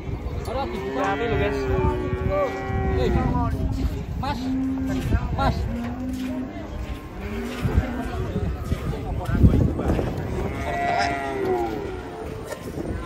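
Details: Several short, steady, low moos from big, plump cattle unloaded from a truck, spaced every second or two, with human voices and thumping hoof or handling noise underneath.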